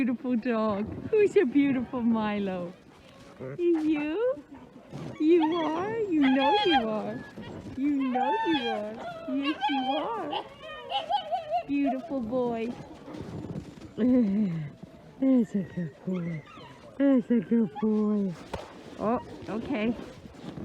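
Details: Several Alaskan Malamutes of a sled dog club in freezing -30 °C winter weather in Larose Forest, Ontario, Canada, eager before running; a dense chorus of bending whimpers and yelping howls swoops up and down without pause.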